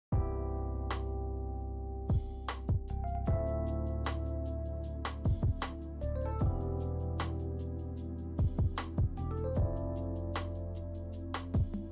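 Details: Soft piano and keyboard music over a low sustained tone, punctuated by sharp percussive taps, with no animal sound present.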